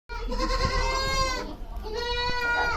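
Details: Goat on a goat farm giving two long, wavering bleats rich in harmonics, the first lasting about a second and a half and the second following after a brief pause.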